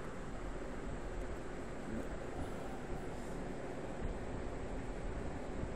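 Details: Steady broadband rumble of wind and distant traffic-like noise, with no animal calls audible.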